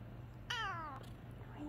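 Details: Male Bengal cat just woken from a nap utters a single drawn-out meow of about half a second, clear and harmonic, falling steadily in pitch, followed by quiet with a faint low hum.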